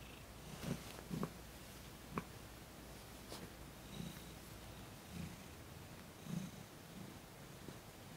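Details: Thomas, a cat being massaged for the first time, purrs in distinct low pulses with audible breaths between them, plus a few soft clicks and rustles close to the microphone in a quiet room.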